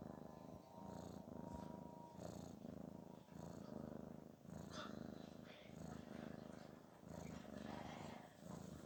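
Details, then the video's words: Garfield, a pet cat, snoring in relaxation and pleasure: a soft, low rumbling that swells and fades in steady breaths roughly every second, with a faint constant hum in the background. "Garfield's snoring usually sounds like a sense of relaxation and pleasure"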